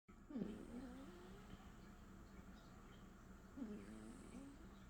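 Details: Leo the cat snoring: two nasal, whistly breaths with a wavering low tone and faint harmonics, about three seconds apart, over a steady low hum.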